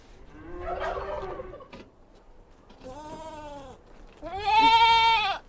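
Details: Goat kids on a mountain farm calling several times, starting with a rough, harsh cry, then a drawn-out nasal bleat and a louder, strained, quavering bleat lasting over a second.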